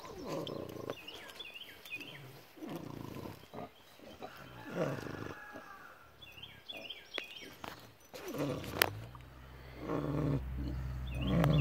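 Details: Snoring of sleeping pigs at David Crockett birth place park: repeated coarse, throaty breaths rising and falling at an uneven pace, ending in a deeper rumbling snore, with birdsong faintly audible throughout.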